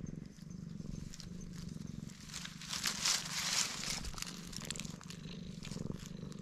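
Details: Stray black cat enjoying being petted, purring with a steady low rumble beneath louder rustling and hissy handling noise in the middle.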